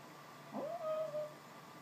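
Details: Sleeping dog dreaming of chasing squirrels, giving one short soft whine: a brief low onset then a thin, slightly wavering tone held about half a second, faint against a quiet room.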